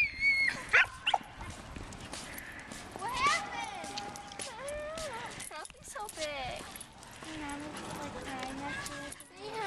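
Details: Two dogs, a Samoyed named Lucy and a Havanese named Sophie, playing together on park tennis courts; high-pitched whines and yips come early, then people talk steadily over the play.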